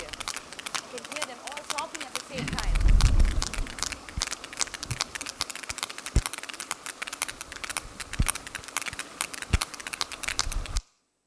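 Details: Sperm whales chatter in rapid, irregular trains of sharp, dry clicks, like crackling or knocking. This communication helps keep their family units of related females and young together.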